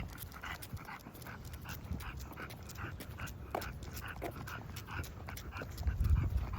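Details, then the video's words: English bulldog on a walk breathing heavily: rapid, rhythmic snorting pants, about four per second, each a short noisy burst with mid-range resonance, over low outdoor rumble and a few footstep thumps near the end. "Heavy Breathing Bulldog walk"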